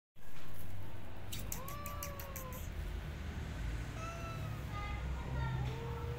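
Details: A disabled stray cat asking for food: a few thin, drawn-out meows, some rising then falling, over a steady low hum, with a short burst of clicking or tapping early on.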